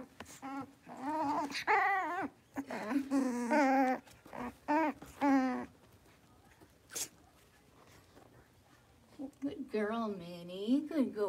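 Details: A litter of five blenheim Cavalier King Charles Spaniel puppies, born at New Year, playing in their puppy pen, give high, whiny yips and squeaky barks in quick bursts.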